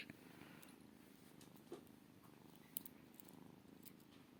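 A Maine Coon kitten purrs in a low, steady, rumbling drone with soft pulsing breaths.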